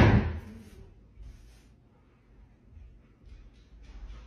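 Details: A loud slam or door bang at the start, then quiet room tone with faint rustles and bumps.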